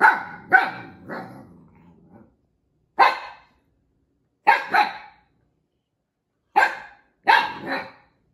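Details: Husky puppy Echo keeps barking at Juno, the other Siberian Husky puppy, who stole his toy. A quick burst of three barks trailing into a low grumble, then single and paired sharp barks separated by pauses of about a second.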